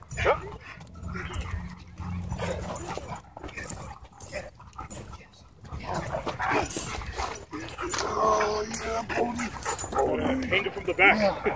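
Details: Dogs at a dog park during an attack by a pitbull hybrid on two other dogs; scattered barks and yelps amid loud human talk and shouting, with low rumbling noise early on.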